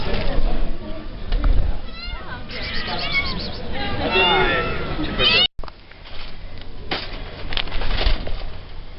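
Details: Rescued domestic cats, November 2013: a string of wavering, bending meows through the middle seconds, overlapping with a woman's chatter and handling noises.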